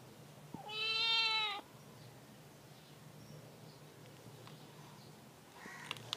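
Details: Cat giving one clear, drawn-out meow lasting about a second, slightly rising then falling, rich in harmonics, followed by quiet background hum and a few faint clicks.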